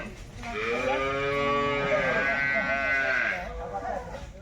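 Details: Single sustained, nasal lowing call of about three seconds from a Jersey cow at a wholesale livestock market, over steady crowd murmur.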